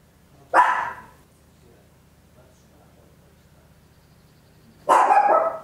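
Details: Papillon, a tiny dog, barking very loud at home, captured in stereo on an Olympus LS-11: two sharp single barks about four seconds apart, separated by quiet with a faint low hum.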